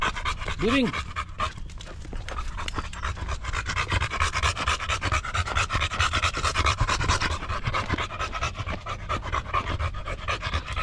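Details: Female Golden Retriever panting hard and steadily, fast airy huffs at about two per second throughout, with one short rising-falling whine near the beginning and little other noise.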